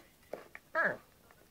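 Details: Yorkshire Terrier playing with a hairbrush lets out a single short, sharp yappy bark that drops slightly in pitch at the end, preceded by two faint soft clicks or snuffles.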